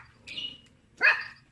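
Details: A little pet dog barking at people: a faint drawn-out tone, then one sharp, high yelping bark with a quickly falling edge, in a quiet indoor setting.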